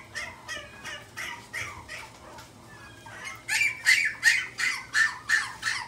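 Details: Pomeranian at the Inu no Ie pet shop, Mark Is Shizuoka branch, gives rapid high yaps about three per second. They are softer for the first three seconds, then louder and sharper after a short pause. Faint shop background hum.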